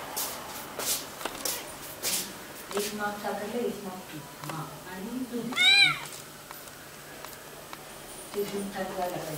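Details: Kittens: one loud, high, arching meow near the middle, with fainter mewing sounds around it, over people talking nearby and a few sharp clicks at the start.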